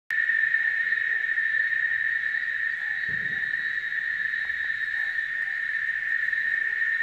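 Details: Cicadas singing: a loud, unbroken, steady buzzing drone that fills the whole stretch without pause, with faint short bird chirps underneath and a brief soft thump partway through.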